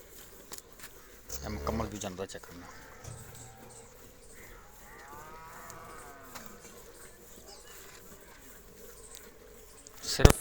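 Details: Cholistani Jersey cross cow gives a single faint, drawn-out harmonic moo in mid-clip, preceded by short bursts of human speech and ended by a sharp knock.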